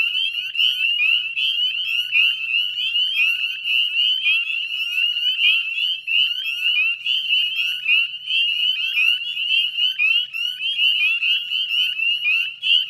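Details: Spring evening chorus of Northern Spring Peepers by the Chezzetcook salt marsh, Nova Scotia, Canada, 18 May 2020, 9:08 p.m.: a thick mesh of piercing upward-sliding peeps, continuous throughout, faint low hum beneath.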